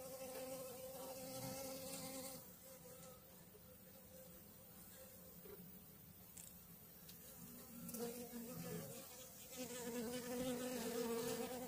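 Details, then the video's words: A honey bee swarm settled on a food frame and a brood frame, May 2022, gives a dense, continuous humming drone with layered harmonic bands, rising louder near the end, with light knocks and rustling. "Roiuri albina"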